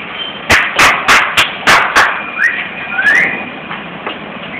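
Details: Dog barking on a balcony: a quick run of about seven sharp, harsh barks packed into less than two seconds, followed by quieter background hum with a few faint thin chirps.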